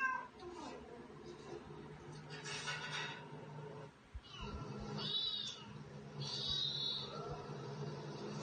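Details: Pet cats Katty and Pchie: after a low hum, rising-and-falling harmonic meows arch upward around the fifth second, then a drawn-out wavering meow, over a steady indoor low drone with soft rustling.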